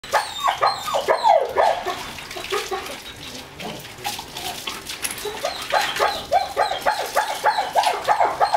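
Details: German Shepherd x Labrador cross at bath time, giving rapid, repeated high whining yelps in quick bursts, several per second, with splashing water and handling noise throughout.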